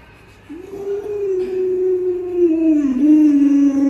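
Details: Alaskan Malamute named Lolo at home, annoyed when its owner pretends to eat dog-meat hotpot, gives a long sustained howl-like whine, steady then sliding gently lower with a brief dip, owner's voice faintly around it.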